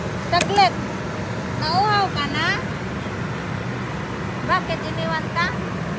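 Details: Baby black poodle named Lemon crying after being left by another dog; three bursts of high, wavering whimpering whines with rising and falling tones, over steady road traffic rumble and a nearby voice.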